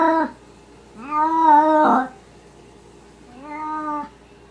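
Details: Maine Coon and Russian Siberian kittens: a clipped mew, then a long level meow ending in a rough burst, followed after a pause by one more drawn-out cry.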